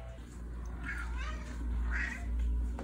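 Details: Simon, a Siamese cat, meowing indoors during a countdown of ever-quieter meows: two short, soft, slightly rising-then-falling meows about a second apart over a steady low hum.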